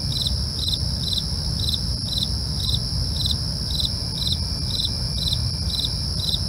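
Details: Crickets at night: short, bright chirps repeating steadily about twice a second, layered over a continuous high insect whine and a soft low rumble.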